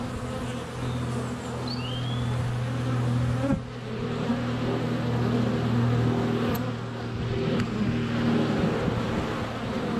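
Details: Honey bees crowd a hive entrance on a sunny February day, a GoPro mere inches away; low droning buzz with individual bees passing close, a thump as one lands on the camera, and a brief bird chirp.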